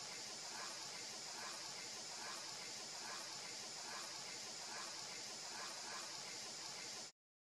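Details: A cicada in the Uttarakhand hills of the Himalaya, its abdomen vibrating as it calls, gives a steady, hissing high-pitched buzz that runs without a break.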